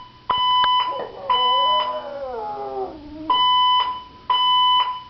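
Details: Gemma, a 14-month-old female French Bulldog, howls at a fire alarm she dislikes: a wavering, falling, strongly harmonic howl lasting about two seconds, fitted between loud bursts of a high, steady electronic alarm tone that repeats about once a second.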